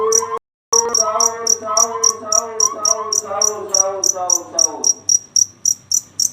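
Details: Cricket at night giving steady high pulsed chirps, about four per second, while a man's voice speaks over the first part.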